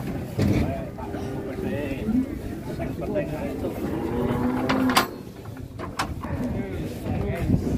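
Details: Bull at Grabag market, Indonesia, said to be raging: several drawn-out harmonic lows, one steady held tone near the middle, amid loud market chatter, knocks and vehicle noise.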